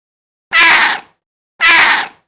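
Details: Domestic cat meowing twice in quick succession, two short, bright, nasal meows about one second apart, with silence in between.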